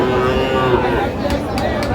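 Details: Sahiwal calves at a cattle market in Jamalpur, Bangladesh, on 14 June 2025: a brief, harmonic low moo in the first half second, under loud men's bargaining voices and crowd chatter.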